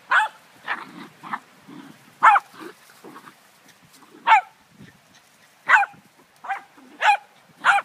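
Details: Poodle and Dogo puppy at play: a run of about ten short, high yapping barks at uneven intervals, interspersed with low snuffling grunts.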